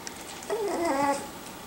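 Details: Five-week-old puppies learning to play and interact with each other indoors. One drawn-out, wavering whimper rises and falls for under a second in a quiet room.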